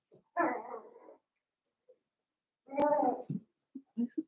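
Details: Indoor puppy pen of seven-week-old Cavalier King Charles Spaniel puppies; two drawn-out, wavering whimpers separated by a quiet stretch, then a sharp click and several short low grunting yelps.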